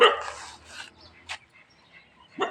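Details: Foreign-breed dog barking in anger after seeing a local dog: a few short, harsh barks spread unevenly over two seconds, separated by quieter gaps, with faint voices in the background.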